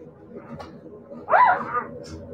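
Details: Siberian Husky puppies indoors: one short, loud whining yelp that rises then falls over about half a second, with a faint murmur of background noise and soft rustling before and after.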